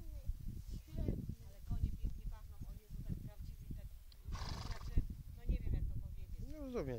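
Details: At Koszewo on 18 June 2008, horses give a high, quavering whinny that rises and falls at the very end, after steady Polish conversation and a burst of rustling.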